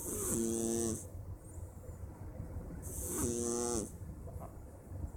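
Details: A Persian cat snoring while asleep on a Wednesday afternoon: two nasal, harmonic snores about three seconds apart, each a wheezy buzzing tone under a second long, over a low steady hum.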